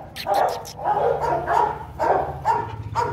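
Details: Rottweiler barking during a father-and-son meeting of Bruno and 7-month-old Igor at a kennel; a series of sharp barks about twice a second, irregularly spaced, over a steady low hum.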